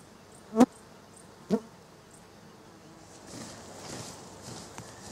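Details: Roe deer, a doe with two fawns filmed in late August 2013, give two short, sharp calls about a second apart, followed by soft rustling.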